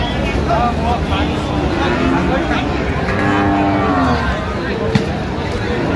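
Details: Lowing from Friesian and cross-breed bull calves being traded at Raniganj haat, Dinajpur, Bangladesh, 16 October 2025. Sustained, level moos sound against a busy crowd of voices and passing vehicles.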